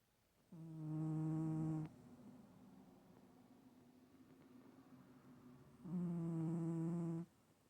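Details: Sleeping cat named Stache snores once more, giving two loud, even, droning whistle-like snores, each over a second long and about five seconds apart, with a faint hum during the quiet exhale between them.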